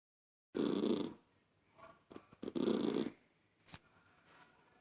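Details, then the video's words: A toy poodle irritated by a child's noise gives two rough, low growling rumbles about two seconds apart, separated by short scuffling sounds, indoors. "Poodle irritado com a criança fazendo. Barulho"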